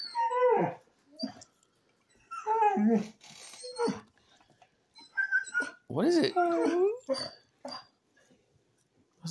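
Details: A Basset Hound, excitedly greeting a returning person, gives harsh, wavering screeches and yelping howls in short bursts about every two seconds. The owner calls it not a usual basset noise. A person talks between the calls.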